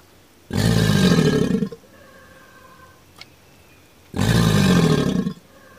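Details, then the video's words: Alligator giving two deep, rumbling roar-like bellows, each lasting just over a second, separated by about two and a half seconds of quiet with faint tonal hum. "Alligator sounds"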